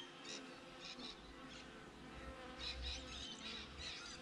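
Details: Honey bees outside a beehive, caught on a GoPro: a steady, low hum of overlapping wingbeats, with short bird chirps and twitters above it.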